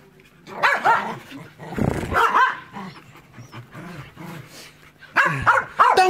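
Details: Two household dogs named Enzo and Ozzy bark in short clusters, with loud yelps near the start and end and quieter muttering and a person's shushing voice between.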